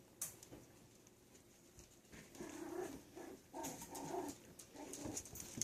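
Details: Yorkshire Terrier puppies playing indoors, giving short, low growly yaps and rough grumbling bursts in the middle of the clip, with faint scuffling between sounds.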